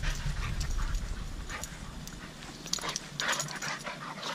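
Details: Dogs at play, a run of short, scratchy, breathy bursts with quick huffs and snuffles coming roughly three times a second over a low rumbling background.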